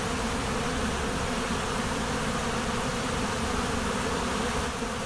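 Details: Honey bees swarming at a monastery apiary, a loud, dense buzz of many insects that stays level and continuous across the whole stretch.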